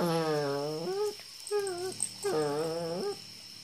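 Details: Whimpering German Shepherd puppy in Imphal: long, tonal whines that waver and then dip at the end, followed by a brief quieter whine and a final sustained one, with a steady high hiss behind.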